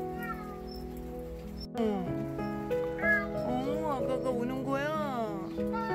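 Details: Near-starved stray Korean shorthair cat rescued from beneath a deck where it kept crying; a series of arched, wavering meows of varying length over continuous background music.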